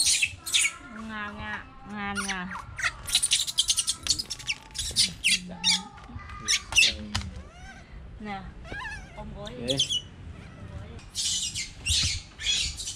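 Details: Young pet monkey giving a busy series of short chirps, squeaks and wavering whistled notes, some sliding up or down, repeated in quick bursts with brief pauses, faint music underneath.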